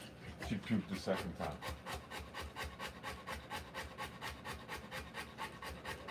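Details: Rottweiler giving birth to puppies pants in a regular, rapid rhythm of breathy huffs; a brief human voice is heard at the start.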